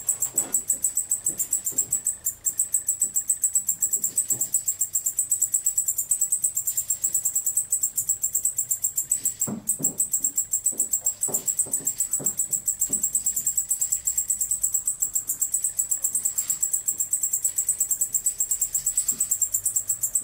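A male white-faced bush-cricket stridulates, a high, rapid, steady buzzing chirr that runs on without a break.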